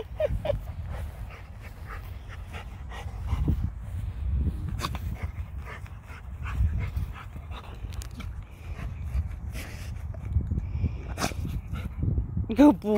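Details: Rottweiler named Macho hunting and digging for gophers outdoors, panting and sniffing in quick, irregular bursts throughout, with scuffing noises from digging and brief human voices praising him near the end.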